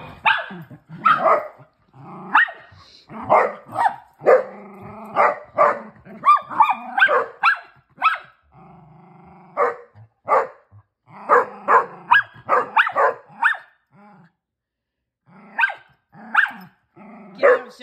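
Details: Female Basset Hound puppy at play with her older sister and brothers; quick bursts of high barks mixed with rough play-growls, coming in uneven clusters with short pauses.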